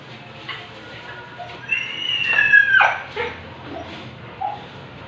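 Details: Siberian Husky at an artificial insemination session giving a single high whine that slides downward over about a second, with faint room noise and scattered short yips around it.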